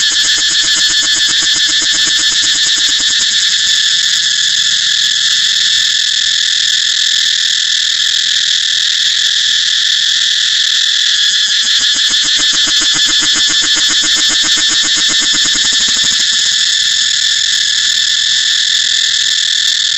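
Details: Cicada recorded in Thailand: an unbroken, intense, high-pitched buzz that stays level for the whole stretch, with faint rapid pulsing underneath in places.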